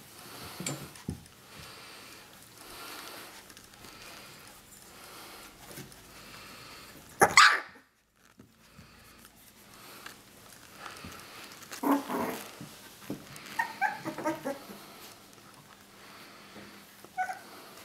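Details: Three-week-old puppies indoors in a small room: one sharp, loud yelp or bark bursts out, then after a quiet stretch come several short, squeaky high-pitched cries and whimpers, with faint rustling and shuffling throughout.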